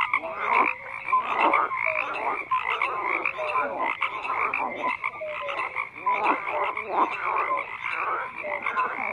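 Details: Chorus of numerous frogs, grating croaks piling on one another with occasional short falling whistles, continuous and even in loudness across the stretch.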